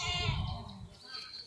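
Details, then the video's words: Newborn goat kid bleating: a harmonic, slightly wavering cry in the first second, fading out, with nearby voices and background noise. "মাশাল্লাহ আমাদের নতুন ছাগল জন্ম নিছে"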